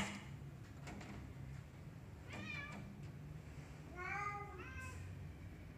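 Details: A black cat on a tree lets out a short rising mew, then a fuller, louder meow with a quick second note near the end, against a quiet low-pitched hum.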